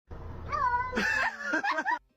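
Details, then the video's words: A cat talking, giving a drawn-out rising then falling meow followed by a quicker, wavering run of chirpy meows, all in about two seconds; a person speaks just after. "Cat talking"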